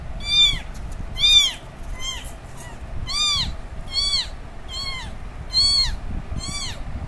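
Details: Baby kitten left alone after its mother cat went away, crying loudly for her: eight loud, clear, arched meows, each rising then falling, repeated roughly every 0.8 seconds over low background rumble.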